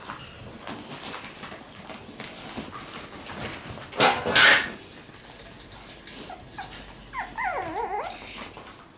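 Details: Shiba Inu puppies, drawn to new things, crowd around a new toy box just put into their puppy room; shuffling and rustling throughout, a loud knock near four seconds, then a short wavering, high-pitched whine near the end.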